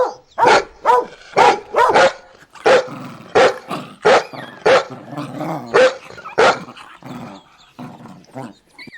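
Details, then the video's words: Dog barking rapidly and insistently, around fourteen loud harsh barks in quick succession with some rough growly undertone, tailing off near the end. "SOM DE CACHORRO"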